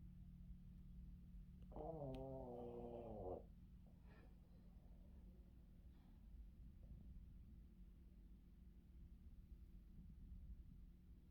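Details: Yoda, a Boston terrier, naps in the afternoon on his owner; a low nasal snore with stacked wavering harmonics swells for about a second and a half, then fades into quiet breathing and faint low rumble.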